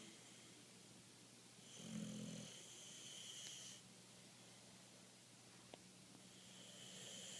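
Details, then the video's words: Rasta the Boxer, fast asleep, gives one long raspy snore of about two seconds. Quieter hissing breaths follow, with a single faint click, over a low background hum. "Rasta the Boxer snoring"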